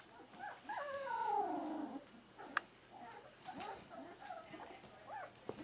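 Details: Four-week-old Smooth-faced Pyrenean Shepherd puppies: one drawn-out, wavering whine that slides downward over about a second, followed by a few softer short whimpers and a single sharp click against a quiet indoor background.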